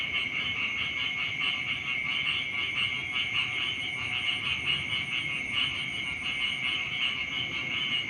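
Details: Frogs calling in the morning beside rice fields: a dense, unbroken chorus of high, rapidly pulsing trills that holds steady throughout, with a faint low rumble underneath.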